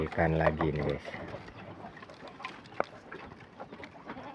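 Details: Goat fed leafy branches on a small farm and described as very hungry. It opens with one strong, vibrating bleat lasting under a second, then rustling, handling noise and a man speaking.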